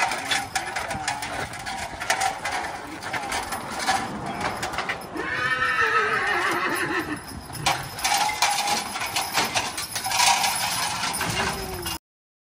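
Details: Percheron horses at work planting sweet corn; a clear whinny with a falling tone rings out midway, over steady hoof clatter, equipment rattle and broadband field noise.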